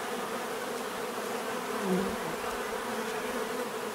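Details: Natural buzzing of bees, a dense droning hum where one nearby insect briefly rises in loudness before fading back into the chorus.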